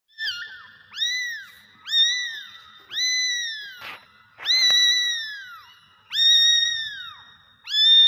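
Kittens give high, thin meows, each a rising-then-falling arc, repeated roughly every second.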